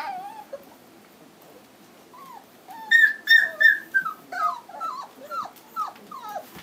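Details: A 2012 litter of home-raised Standard Poodle puppies, three weeks old, black, in Lodge Grass, Montana: quiet at first, then a fast series of high, wavering whines and squeals, about three per second, growing louder then tapering.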